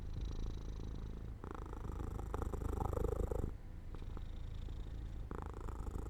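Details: A house cat falling asleep in sunlight beside an open window gives a soft, low purr that swells into a fuller, louder rumble in the middle, then settles back to a gentle vibration.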